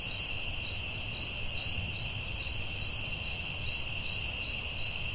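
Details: Forest crickets calling at night: crisp short chirps roughly every half second riding on a continuous high-pitched insect drone, with low rumbling underneath.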